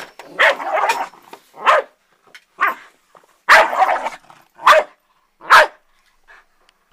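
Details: Pet dog attacking an ironing board, giving sharp, loud single barks about once a second, some doubled, with brief quiet gaps and softer yaps between.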